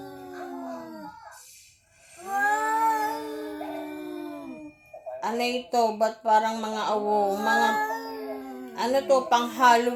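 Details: Visiting cat making a strange sound, recorded indoors: long, drawn-out, wavering moaning cries, then a run of choppier, broken yowls rising and falling in pitch.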